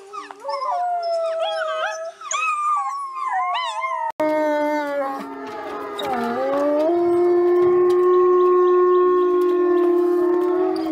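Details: Packs of gray wolves howl together in a chorus, long wavering tones rising and falling over one another.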